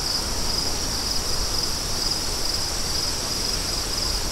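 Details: Crickets chirp in a steady high-pitched band, with short pulses repeating every half second or so, over a constant low rushing of wind.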